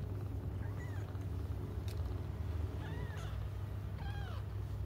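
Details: Cats waiting for their mother to come back cry in three short, bending mews spaced about a second apart, each rising then dropping, set against a constant deep background drone.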